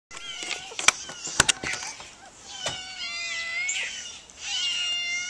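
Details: Two semi-wild cats, Baby Poof and Little Mama, meowing because their food is late; several harmonic meows, some rising and falling, follow sharp clicks and knocks early on.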